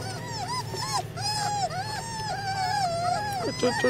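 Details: Flat-coated Retriever puppies, littermates, giving thin arched whimpers around one kilohertz, several overlapping, over a steady low hum, with faint background voices.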